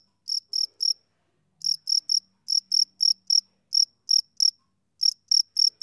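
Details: A male cricket gives bright, high-pitched chirps in irregular clusters of two to four, separated by short silences, against an otherwise quiet background.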